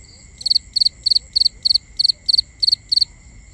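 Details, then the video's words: A cricket chirping at night in binaural sound: a regular series of nine bright, high chirps, each a quick triple or quadruple pulse, about three per second, above a continuous high tone and faint rumble. "Cricket Conversations | Binaural Nighttime Ambience"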